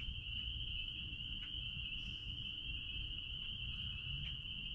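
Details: Spring peepers calling out back at a blueberry farm, their high peeps merging into one steady, shrill ringing tone that runs unbroken through the whole stretch over a low rumbling background.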